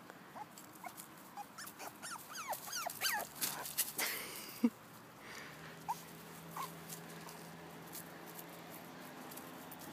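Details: Mother dog with her two 7-week-old male puppies, indoors; a run of high, rising-falling whimpers and yips in quick succession, then quieter scattered squeaks over a steady background hum.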